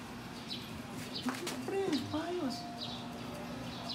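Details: Show-quality Siberian Husky puppy at Melarn Kennel in the Philippines, giving thin tonal whimpers that slide up and down over about a second, with short high chirps of birds repeating faintly behind.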